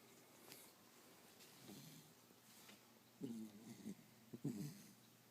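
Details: Sprite, a five-month-old Pembroke Welsh Corgi, snoring while asleep: quiet, low rumbling breaths come in short uneven bursts, with two louder snorting pulls in the last seconds over a faint steady hiss.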